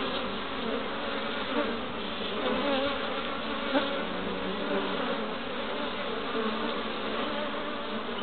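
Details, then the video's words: Honey bees bustling at a hive entrance in Pembrokeshire, west Wales, in early spring with colourful pollen loads; dense steady buzzing, individual bees briefly swelling louder as they pass close. "Honey Bees at the Hive Entrance"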